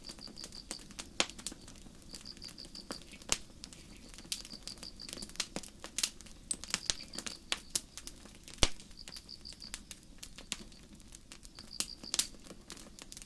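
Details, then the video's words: Crickets in a forest under a starry night sky, a campfire burning nearby. Rapid rows of high, even chirp pulses repeat at short intervals, overlaid by irregular popping and crackling from the fire. "焚き火と虫の声 – 星降る夜の森 | Sleep Sounds: Campfire & Crickets"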